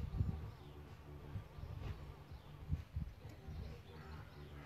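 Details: Solitary bees nesting in a bug hotel, giving a low, droning buzz with layered harmonic tones that swell and fade as insects move about, a couple of louder close passes standing out.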